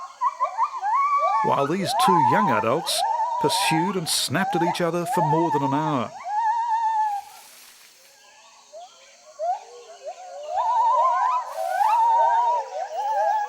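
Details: Jarunee, a singing gibbon, gives a run of short hooting notes around one pitch, repeated about once a second. A wavering, voice-like sound overlaps in the early part, and softer notes continue afterwards against a quiet background.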